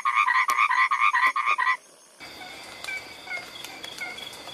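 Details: Frog calling with a rapid series of about a dozen short, nasal, harmonic croaks over two seconds, then falling silent while a faint insect hum and scattered clicks continue.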